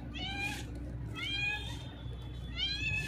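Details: Hungry cat with a broken leg, thin and being fed, meowing loudly: three drawn-out, falling meows in quick succession, each about half a second long, over a low background hum.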